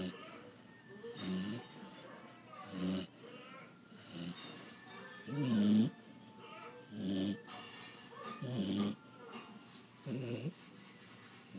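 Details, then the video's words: Chocolate Labrador Retriever puppy asleep, snoring loudly in rough nasal breaths, about one snore every one and a half seconds, eight snores in all, with quiet gaps between. "Chocolate lab puppy snores way too loudly"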